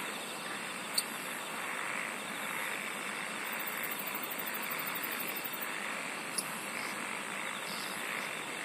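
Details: Insects sing together in a constant droning wash, a fine high tone on top and a coarse buzzing texture lower down, broken by two sharp clicks.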